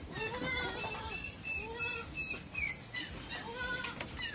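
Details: Goats on a backyard farm being given a probiotic drink of salt and molasses: a series of wavering, nasal bleats, several overlapping, each lasting about half a second, with faint higher chirps and farmyard background noise.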